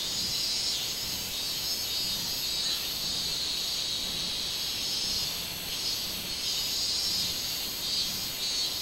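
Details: Minmin cicada singing on 24 July 2016 in summer, a high buzzy drone that swells and fades in waves every second or so over a steady insect hiss.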